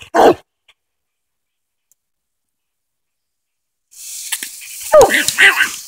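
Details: Coonhound named Hoss, treed on a den during a Tennessee coon hunt, gives one sharp bark, then after a long silence a cluster of loud barks rises over a hissing outdoor background near the end.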